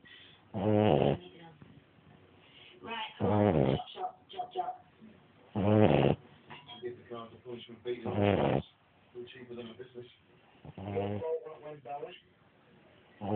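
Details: Dog named Jasper asleep and snoring, with paired grating snore bursts about every two to three seconds; quieter murmured speech and small rustles run between the snores.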